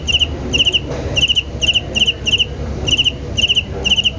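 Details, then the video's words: Rhythmic cricket song: short trilled chirps of a few shrill pulses each, coming roughly twice a second with small irregular gaps, over a faint low hum. "Rhythmical Chirping Sound of Cricket"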